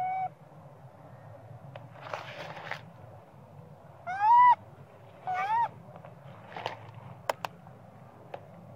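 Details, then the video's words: Spoiled little monkey crying for its mother to nurse it, maybe from hunger: two clear, arched, whistled wails about a second apart, with a clipped one at the start, plus scattered clicks, rustles and a low hum. "Small spoil monkey cry & screaming coz he need mom monkey popeye"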